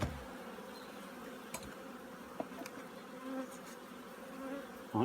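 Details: Honey bees in winter preparation at a Korean apiary; an even low hum runs throughout, with a handful of brief clicks and a louder knock at the start and end.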